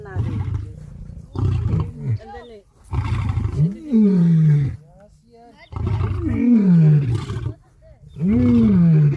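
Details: Lion roaring, a call male and female lions use to communicate location, show strength and intimidate other prides: deep, moaning bursts with falling tones, several heavy calls separated by short pauses.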